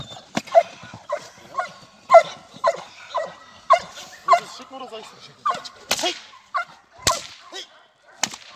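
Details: Nadja de la Arena, a Perro de Presa Canario, in protection dog training, giving a steady series of short rough barks roughly every half second, punctuated by loud cracking noises like a whip.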